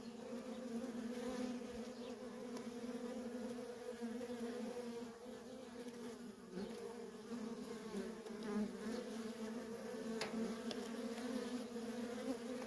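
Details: Continuous droning buzz from heavy traffic of worker honey bees at a feral colony; many wingbeats merge into a thick, even hum with faint clicks and ticks scattered across it.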